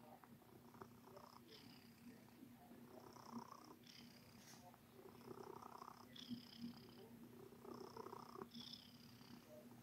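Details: Domestic cat purring while kneading, making biscuits: a quiet, continuous low rumble under soft rhythmic rustling bursts from the paws, in a calm room.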